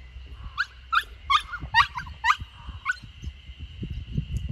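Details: Samoyed puppy named Lucky, a female 64 days old, tied to a post for the first time in a garden in Niseko, Hokkaido, Japan, in June, whimpering at being apart from her owner: six short high whining yelps with rising-falling pitch, then rustling and low thuds.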